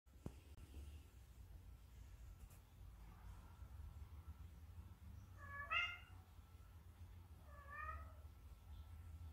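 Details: Pet Munchkin cat indoors calling its owner to play, giving two soft, drawn-out meows a couple of seconds apart over a low room hum.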